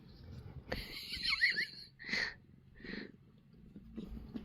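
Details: Indoor Korean shorthair cat being kneaded makes odd noises: a wavering, nasal whine lasting about a second, followed by two short breathy mews amid soft handling sounds.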